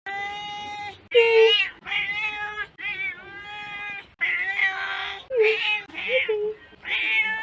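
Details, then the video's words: Domestic cat meowing in a series of short harmonic calls, about seven in a row, some rising then falling, with brief pauses between them; a rapid string of calls from a compilation of cat meows. "Cat meows compilation"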